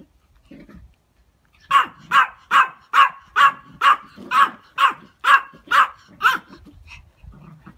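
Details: Dogs playing tug games indoors: an 8-week-old Siberian husky, a 6-month-old Alaska husky and a 5-year-old Pomeranian. Eleven sharp barks follow one another about every half second, after a few soft grunts, with near silence between them.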